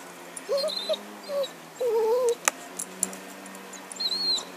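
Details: Happy, a dog playing with a stick in 2012, lets out a few short, thin whimpers followed by a longer, steady whine, with faint clicks and a low steady hum behind.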